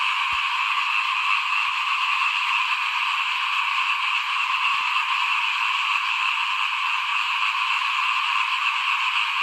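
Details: A continuous chorus of small frogs sounds outside a house at rice sowing time, 2021: a shrill, buzzing wall of overlapping trills, constant in loudness, with a couple of faint clicks.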